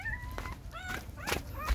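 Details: While their mother GiGi nurses them, the six puppies let out a few drawn-out, high whines that bend upward, mixed with brief thumps and rustling.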